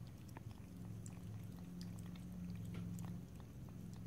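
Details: Cat licking and lapping water. Short soft splashy ticks come quickly and unevenly, a few per second, over a constant low droning background, with no voices.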